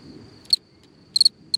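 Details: Singing cricket at night beside a hole in the ground, a faint continuous trill under three short chirps, the last two given as quick double pulses.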